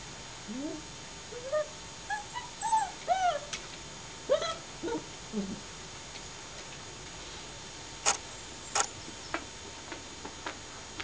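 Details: Long-haired German Shepherd dog producing a run of short rising whines and yelps, several per second in the first half, then fading to sharp clicks and quiet rustling.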